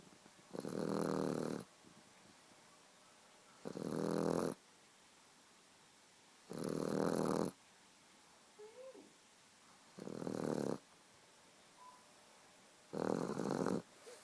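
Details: Steady snoring from a sleeping Boxer puppy: five harsh, buzzing snores of about a second each, repeating every three seconds, with soft breathing and small squeaks in the quiet pauses.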